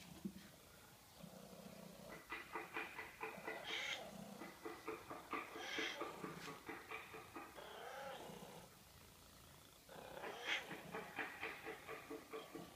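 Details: Cat making a really strange meow: a run of throaty, pulsed, purr-like calls repeated rapidly, broken by wavering, drawn-out meows around four, six and ten seconds in, over a low background hum.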